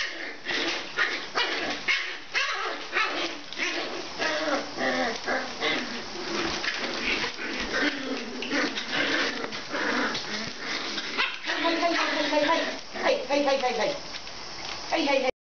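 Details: Oliver, a 34-day-old puppy from Frosty and Cruze's litter, recorded on 24 January 2015, gives a steady run of short, high, yappy barks and yelps, repeated rapidly throughout, with brief whiny harmonic cries toward the end.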